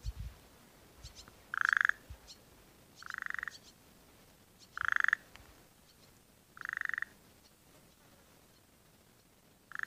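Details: Burrowing frogs calling around rain-filled dams in the breeding season, when eggs are being laid. Five brief, rattling pulsed notes come at uneven spacing, roughly one every one and a half seconds, with a few faint soft clicks and low rustles between them.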